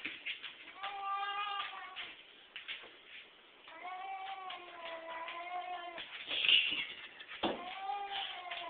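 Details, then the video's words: Pet cat calling as it is stroked on the back: quieter, drawn-out wavering meows that run almost continuously and rise and fall in pitch, with a brief sharper squeal midway. "Cat Making Funny Noise"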